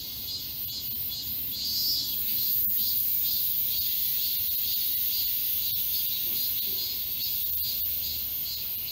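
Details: A cicada chorus in the summer woods of Galsan Park, Yangcheon-gu, Seoul, South Korea, forms a steady shrill, high buzzing wall of sound with gentle swells in volume and faint ticks in the background.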